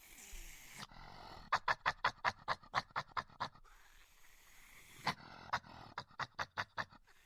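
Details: Badger making aggressive noises: a steady train of harsh, rapid broadband pulses, about six per second, breaks off, then resumes in a shorter burst after a faint breathy pause.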